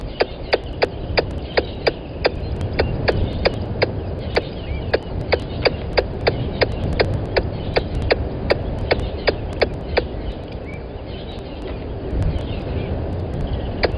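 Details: At Gowrie dam on Djuma Game Reserve in South Africa's Sabi Sand Wildtuin, a squirrel calls near the live-cam microphone at 10:41 on 12/09/20: rapid, evenly spaced clicking notes for about ten seconds, then stopping, with low rumbling noise beneath.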